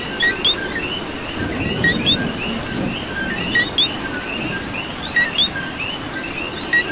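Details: Coqui frogs heard in Puerto Rican rain, their sharp rising chirps and lower companion notes repeating from several individuals, backed by continuous light rain patter.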